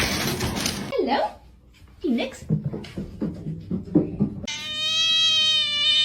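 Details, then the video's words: Kitten meowing: short harmonic mews around the first and second seconds, then a long, steady, high tonal meow over the last second and a half, with some voice-like sounds and rustling at the start. "Kitten meowing"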